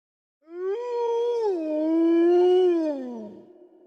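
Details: Wolf howling: one long smooth tone that rises, holds steady, dips and then swells before fading away after about three seconds, rich in overtones, with no other sounds.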